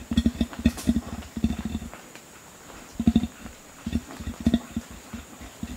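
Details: Deep, short grunts from a male Bornean orangutan as a threat call toward gibbons, delivered in three loose bursts separated by quiet gaps of about a second.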